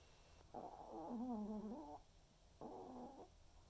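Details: Senior Pomeranian named Waldo snoring during an afternoon snooze: two drawn-out, wavering nasal tones with stacked harmonics, the first about one and a half seconds long, the second shorter after a pause.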